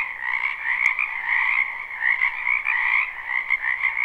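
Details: Springtime frogs massed in a backyard wetland, recorded live. A thick wall of overlapping croaks holds steady in two layered bands, the upper one bright and trilling, with small swells in loudness and one brief click.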